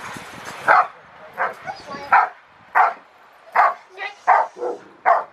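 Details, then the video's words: Rottweiler Carma v Eiche Park barking during protection training at Victoria Rottweiler Club, November 15, 2020: about nine loud, deep barks in uneven bursts roughly every half second to second, near-silent gaps between, faint human voices at the start. "Rottweiler protection training"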